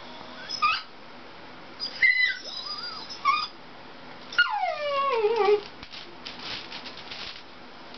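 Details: Dachshund named Dixie, indoors, reacting to a Toyota chase commercial: a few short high whines, then a long falling, howl-like whine rich in overtones, trailing into softer noisy whimpers.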